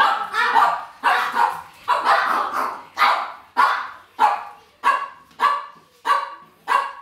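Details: Pekingese dogs in a household waiting for their food, among them an elderly 16-year-old female and a 14-year-old sleeve Peke; sharp, high barks repeated steadily about every half second, roughly a dozen in seven seconds.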